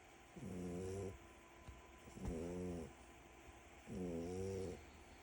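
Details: French Bulldog puppy asleep and snoring in three rhythmic rasping pulls, each under a second and about every one and a half seconds, harmonic and throaty over a quiet room hiss.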